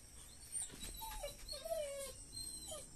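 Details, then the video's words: Labrador Retriever puppy on its first leash walk, tied up and thinking it is being left behind, giving thin high whines that slide downward, with a person talking nearby. "Labrador thinks he is getting left behind"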